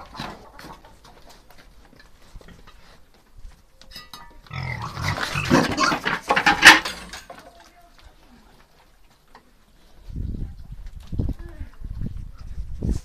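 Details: Piétrain boar out walking with two sows; a harsh, noisy broadband burst midway, then deep, short grunts in rough bursts over the last few seconds, with faint background clatter.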